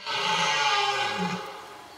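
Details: A red deer stag in the autumn rut gives a deep, rough bellow that swells and then fades, recorded in the wild in a remote, unenclosed area of Sologne, France.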